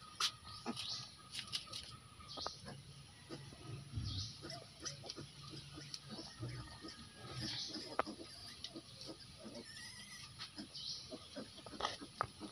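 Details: Piglets of a native breed resting during siesta time give soft, low grunts around four and eight seconds. Frequent dry clicks and rustling run throughout, over a steady faint high-pitched hum.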